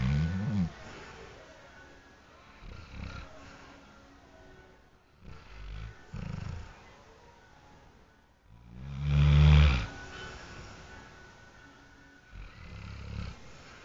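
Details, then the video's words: A sleeping dog snoring: deep, rumbling low breaths in irregular bursts, the loudest around the ninth second, separated by quieter pauses. "The Snoring Dog"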